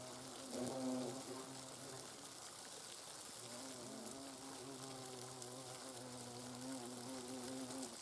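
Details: Hornets observed in their nest in the Eifel: a steady, low droning buzz with a strong hum and stacked harmonics that waver slightly, several insects overlapping, brief louder flutter near the start.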